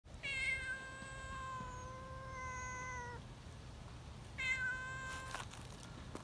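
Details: Young community cats excited at being held give a long, drawn-out shrill meow lasting about three seconds, steady in pitch with rich overtones, then a second meow begins before a rustle at the end.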